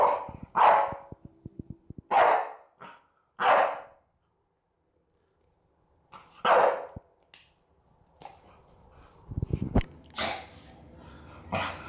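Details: An excited male Staffordshire Bull Terrier, Rocky, 11 months old, barks at the smell of cinnamon, stopping when it is closed. Several gruff single barks spaced a second or more apart, then clattering noises and a few more barks at the end.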